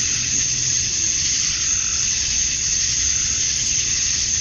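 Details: Summer dusk chorus of male cicadas in Georgia, USA, which call to attract females. A constant shrill buzzing wall of sound with a thin piercing tone above it, no pauses, over a soft low background murmur.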